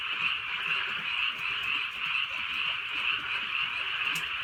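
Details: Frog chorus from a drizzly countryside night, steady overlapping croaking with a slower pulse of about one call per second standing out, soft rain in the background.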